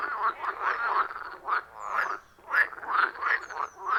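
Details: Frogs calling loudly at a forest pond in the wild, recorded on an iPhone with attached microphone; rapid, throaty, pulsing croaks in dense overlapping bursts, brief lull midway, then renewed rhythmic calling.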